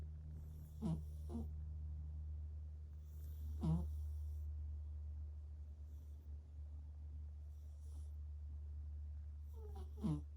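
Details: Sleeping pet cat snoring indoors; soft breathy snores with brief rattling bursts at about 1, 3.7 and 10 seconds over a steady low hum.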